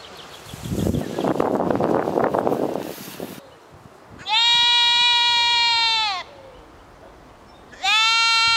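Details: Goats back at Epinay-sous-Sénart, France: after a spell of rustling, a long, steady, nasal bleat holds for nearly two seconds, then a second bleat begins and runs to the end.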